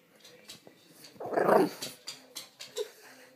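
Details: French Bulldog waking its owner lets out a single rough, noisy growling grumble lasting about half a second, then faint shuffling and a small squeak.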